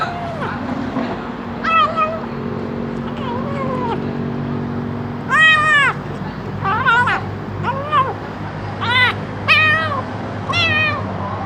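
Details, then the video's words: Hungry kitten crying with a strange sound, a rapid series of about ten sharp, high meows, some arching up and falling, others short and clipped, coming every second or so, with a low hum and speech beneath. "Anak kucing lapar keluarkan suara aneh!"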